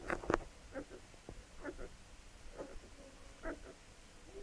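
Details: Labrador Retriever puppies nursing from their mother, giving short scattered squeaky whines and suckling noises among steady low background rumble.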